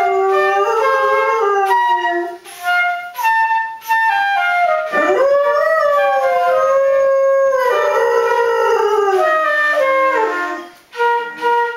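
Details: A pet dog howls along to a flute played by its owner: long wavering howls that rise and fall, overlapping with sustained flute notes, recorded indoors.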